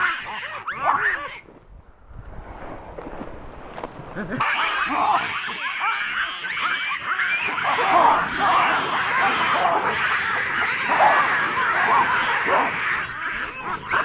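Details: Wild, habituated troop of chacma baboons in the Soutpansberg mountains, South Africa, screaming sharply in alarm at a giant rock python wrapped around a juvenile baboon; dense overlapping harsh screams and barks from several animals, rising after a brief lull.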